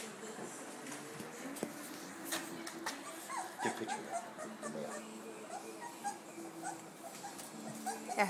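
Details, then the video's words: Four-week-old Gordon Setter puppies at a kennel in Ishpeming, Michigan, July 21, 2011, exploring their world and each other; thin high whimpers and squeaky yelps repeat irregularly among scuffling and voices. "Gordon Setter Pups"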